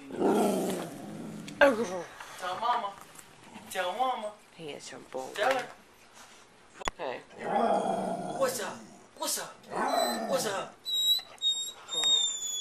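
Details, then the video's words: Pet dogs 'talking' on the command 'speak', recorded 25 February 2011: warbling, growly whine-like vocalizations in short rising and falling bursts, alternating with a person's voice, plus a thin high squeak near the end. "Talking Dogs"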